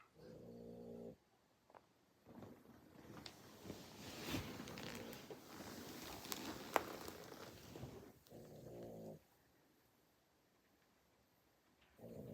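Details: A Boston Terrier wearing a cone snores in slow, rumbling, harmonic breaths separated by rustling and quiet pauses.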